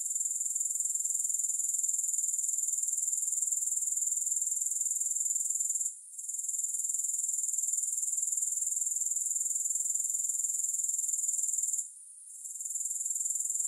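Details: Steady shrill insect trilling from grasshoppers, rapidly pulsed and even, broken twice by short quiet gaps about six seconds apart, then returning at the same pitch; no music or other noises.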